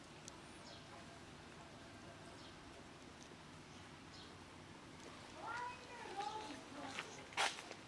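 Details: Black mother cat with her kitten, the kitten nursing on her milk; after a long quiet stretch of steady hiss, three or four short arched mews rise and fall in quick succession near the end, followed by a sharp click.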